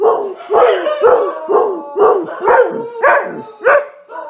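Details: Dog barking steadily, roughly twice a second, each bark a short yelping note with a rising-falling tone, eight or nine in a row, loud and close.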